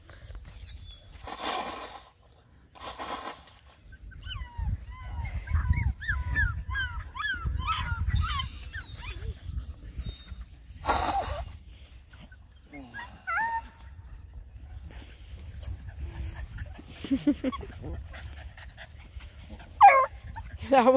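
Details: A litter of nine Black and Tan Coonhound puppies, aged seven and a half weeks, hiking by a pond. A long chorus of squeaky, rising and falling whimpers overlaps in the middle, between bursts of speech and handling noise.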